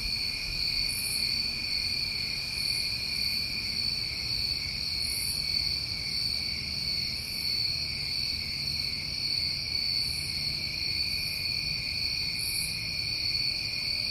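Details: Summer cricket chorus from New England: continuous high-pitched trills hold steady throughout, topped by short, very high pulsed bursts that recur irregularly every one to two seconds, with soft low background noise.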